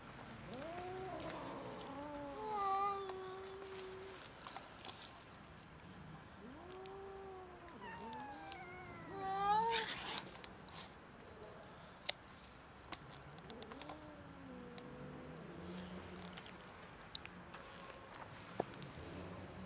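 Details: Hungry stray domestic cat outdoors on a cold winter street, a large fluffy female, making a series of faint, drawn-out arching meows and wavering cries spread across the recording, with a sharp noise burst in the middle and steady background hiss.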